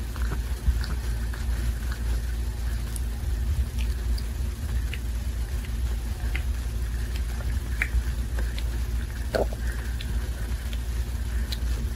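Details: Only a steady low rumble with scattered soft taps and clicks can be heard, and no animal voice.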